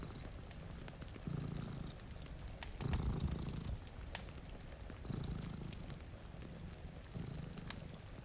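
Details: Two cats dozing in front of a window on a rainy day produce a rumbling purr in four surges, the loudest near the middle, amid crackling fire pops and rain.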